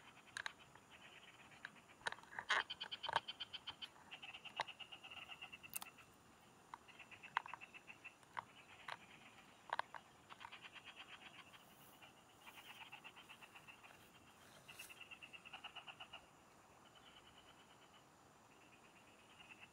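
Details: Frogs singing in farm fields, heard while fishing: rapid pulsed trains of clicking, rattling notes at mid to high pitch, coming in bursts several seconds long, with sharp taps and scratches between and a steady high hiss underneath.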